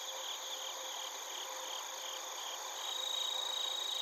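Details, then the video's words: Crickets and bell crickets (suzumushi) chirping in Narita, Chiba, Japan: steady high trilled pulses around four per second over a continuous ringing chorus of other insects. "スズムシとコオロギの鳴き声 - Chirping of crickets"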